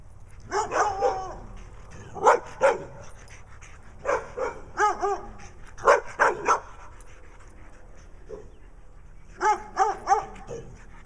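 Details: Two pet dogs in Wadena, Minnesota, Stella with black eye patches and a brown dog, the brown one barking for attention: short harmonic barks in pairs and triples, spaced by brief pauses, with quiet background hum.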